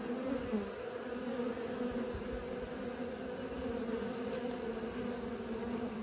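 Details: Honey bees taking their first flights make a thick, uninterrupted droning buzz, slightly wavering in pitch as individual bees pass close, with no other sounds.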